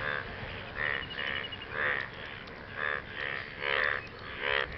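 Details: After rain, frogs call to impress partners: rhythmic rasping croaks, each short and buzzy, coming in irregular bursts about once a second from a group of callers, with a constant background hiss.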